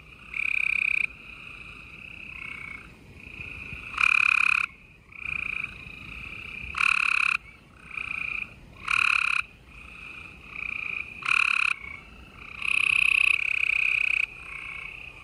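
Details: Busy nighttime chorus of gray treefrogs, Houston, Texas, late April 2020: many overlapping buzzy trills, loud bursts about every one to two seconds, with a steady carpet of quieter trilling from more distant frogs throughout.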